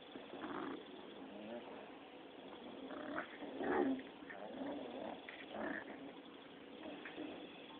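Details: Playful six-week-old Rottweiler pups tussling, producing low muffled growls and grunts in uneven bursts, one louder squealing note near the middle, over steady background hiss.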